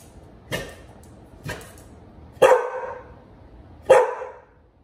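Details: Pit Bull named Bullet with a puppy named Liberty that keeps pestering the older dog; four sharp barks at irregular intervals, the last two louder and ringing, over a quiet background.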